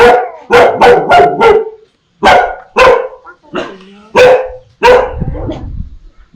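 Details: Dogs barking ferociously on meeting strangers, alongside puppies barking at familiar people: a rapid cluster of four barks, a pause, then irregular single barks with a softer whine between.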